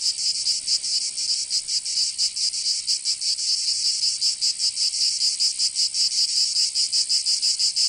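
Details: Summer cicadas in Provence, southern France, a loud high-pitched continuous whirring with looser, less even pulsing, several insects overlapping in a shimmering drone.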